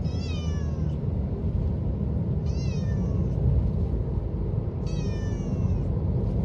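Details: Domestic cat riding in a car on the way to the vet, giving hoarse, faint meows: three short, falling, harmonic-rich mews spaced about two and a half seconds apart over steady low engine and road rumble.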